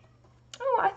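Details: Domestic cat meowing insistently indoors: a short, rising then falling tonal meow with a clear harmonic stack, preceded by a click.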